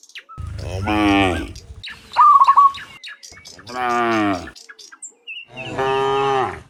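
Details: Dozens of cows heading home from the fields to their pen in the afternoon; three long, deep moos about two seconds apart, with a brief warbling chirp in between.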